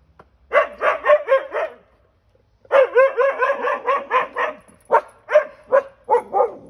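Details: On the back deck, Siberian Huskies react to a stray cat seen up close for the first time, barking in fast, yelping series, one burst of four, a longer run of about eight, then scattered barks.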